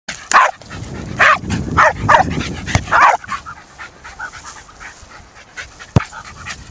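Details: Jack Russell Terrier cross dribbling a football around a park, giving a run of sharp, yelping barks, about five in the first three seconds, then quieter panting and scuffling with one sharp click near six seconds.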